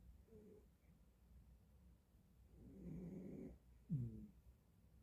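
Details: Sleeping cat snoring softly: a faint, hoarse, drawn-out breath, then a short snorting snore, in a quiet room.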